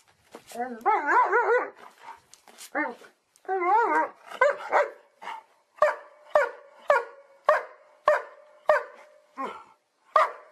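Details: Dog barking, from a compilation of different types of dogs: wavering howl-like whines at first, then a run of sharp barks repeated roughly every half second in a quiet indoor setting.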